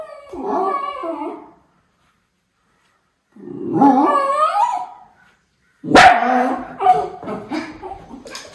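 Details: Miniature Schnauzer Levi, on the lookout for crows in Aroostook County, Maine, August 27, 2021; two wavering, whimpering whines, then a loud bark breaking into a string of yips and whines.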